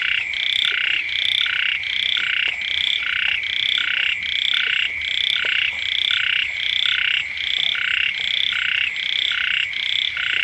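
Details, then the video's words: A frog chorus beside a home during the first rains: regular, buzzy croaking pulses in staggered groups over an unbroken high whine, with occasional faint clicks. "เสียง กบ เขียด ร้อง อยู่แคมบ้าน"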